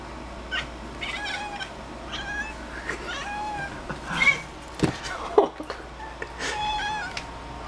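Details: Pet cat indoors chattering while watching a bug on the ceiling: short, clipped, harmonic chirps in scattered bursts, a few louder rising squeaks near the middle, over a steady low household hum.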